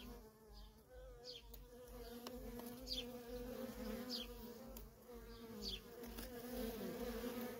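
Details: Worker bees at a feral honey bee colony keep up a constant low buzz, while short high descending chirps, probably a bird, repeat roughly every second above the drone.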